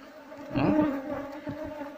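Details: Wild Asian honey bees (Apis cerana), described as aggressive when their nest is disturbed, buzz during a hive harvest: a sustained droning hum that rises in loudness midway, with soft knocks and rustles.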